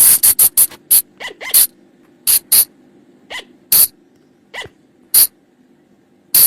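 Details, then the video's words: Flying lemur call from the forest, played at night to draw the animals in: a quick volley of harsh clicking bursts, then slower scattered shrill squeaks with short upward sweeps, a low hum underneath. "เสียงต่อบ่างป่า หรือพุงจง,พะจง flying lemur sound"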